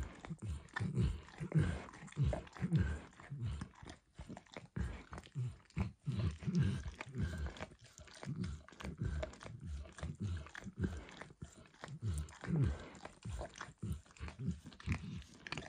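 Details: Dog Max licking eggs and diluted peanut oil from a bumpy orange mat; long continuous stretch of moist slapping laps and slurps, irregular rhythm with brief gaps, recorded very close in a quiet room.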